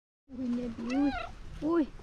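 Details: Hungry domestic cat asking for food with a soft meow: three tonal, harmonic meows, the first long and level, the second rising then falling, the last short and bending downward.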